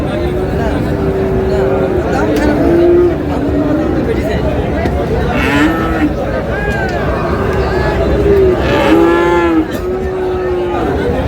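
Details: Young Friesian and cross-bred bull calves at Raniganj livestock market, Dinajpur, low drawn-out moos repeating over several seconds, some rising then falling, amid market chatter and voices bargaining.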